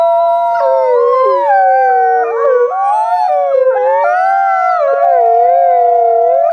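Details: Dense wolf chorus: many intertwined howls waver and bend around one another without pause, their long tones rising and dipping in a continuous blend.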